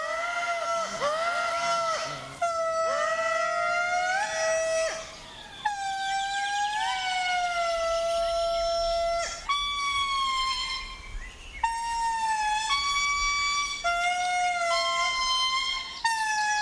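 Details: Indri (Indri indri), a small territorial family group in Madagascar's forest, gives loud, wailing, siren-like notes that swoop and hold, a piercing call heard kilometres away claiming the group's territory.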